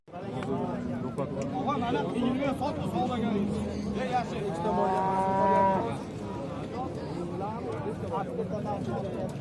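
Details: Bulls offered for sale at a livestock market in Shahrikhan, Uzbekistan: one gives a long, loud, harmonic moo midway, lasting over a second, amid steady chatter of traders and buyers discussing prices.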